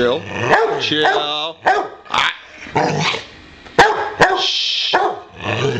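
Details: Boxer dog at home wanting to play, barking at its owner: loud abrupt barks mixed with whiny, wavering yowls and brief growly notes, separated by short pauses.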